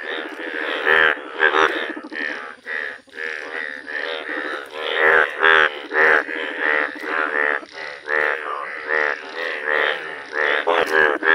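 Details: Indian bullfrogs, described as rare yellow frogs, calling in nature: dense overlapping chorus of harsh, nasal, buzzy croaks with strong harmonics, pulsing irregularly about twice a second with barely a pause.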